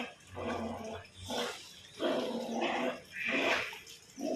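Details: Labrador Retriever named Lebu, out enjoying the rain, gives harsh, broad barks in four bursts roughly one second apart.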